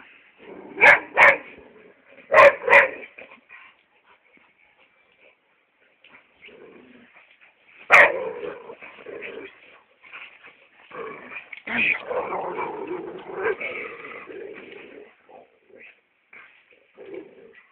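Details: Hugo, a chocolate brown Labrador Retriever, gives paired loud barks near the start, another sharp bark around eight seconds, then a longer run of rough, whining vocal sounds, with a person calling and background music.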